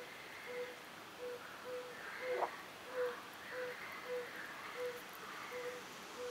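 A fire-bellied toad gives soft, mellow 'oop' notes, repeated steadily about twice a second.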